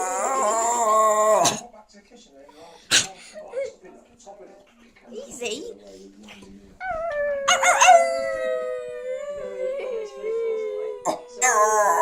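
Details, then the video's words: Domestic dog howling: a wavering tone at the start, then quieter rustling and clicks, before a second sustained howl that rises slightly and sags gradually lower over several seconds, with scattered sharp knocks around it. "Mr bailey howling"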